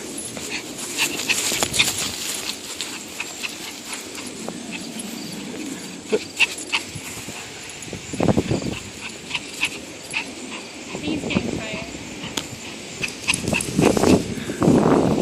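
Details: Pet Chihuahua playing and getting tired; scattered short growly and snuffling bursts, louder grumbling near the end, with clicks and thumps of play and a person talking softly.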